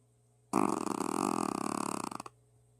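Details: Sully the Shih Tzu, a pet dog, snoring while asleep; one long rattling, vibrating snore lasting under two seconds, a buzzy fluttering rasp that fades at the end, in a quiet room.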